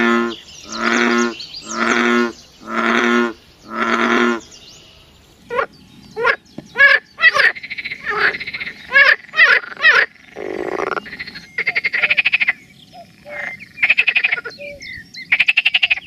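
Four loud, rasping croaks come about a second apart, each with a deep harmonic buzz. Sharper clicking notes and short buzzy trills follow in a rapid, uneven series.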